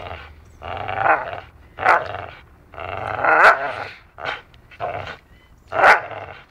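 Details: Dachshund at play, biting at wood as if training to be a lumberjack; a run of raspy, throaty growls in short bursts about every second, some rising into sharper yips, with chewing and scraping noises between them.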